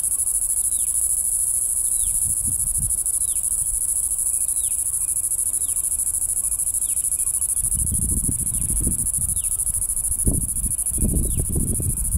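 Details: Bengaluru cicada, brightly coloured with a red nose, in natural habitat: a sustained piercing high whine with evenly spaced descending chirps, plus heavy low rumbling handling bursts in the second half.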